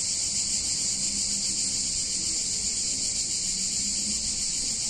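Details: Cicadas on a hot summer day in an Italian town keep up a steady, shrill, hissing buzz without pause.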